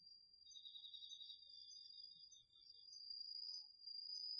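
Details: Crickets and other autumn insects in a garden field at night, captured on a DR-40X recorder. A continuous piercing high trill holds steady while a slightly lower, rapidly pulsed trill sounds through the first half and then fades.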